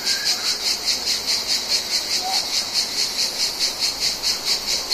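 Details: Mediterranean cicadas filling a summer soundscape with a high, sizzling drone that pulses rhythmically about twice per second; a faint brief chirp near the start and a soft short note midway.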